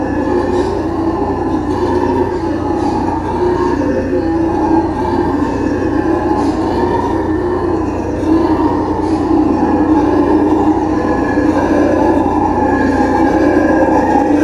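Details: Continuous deep roaring from black-and-gold howler monkeys (Alouatta caraya), a rough, pulsing chorus that swells and wavers but never breaks across fourteen seconds, with faint clicks and knocks above it.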